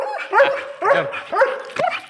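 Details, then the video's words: Alsatian dog displaying an aggressive attitude barks four times in a row, each bark a loud, rising-falling yelp about half a second after the last, with a faint sustained tone underneath. "my alsatian dog so dangers😈attitude"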